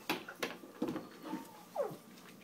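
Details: Siberian Husky indoors talking because he wants dinner three hours early: a few short vocal bursts ending in a falling whine, with the owner speaking around it.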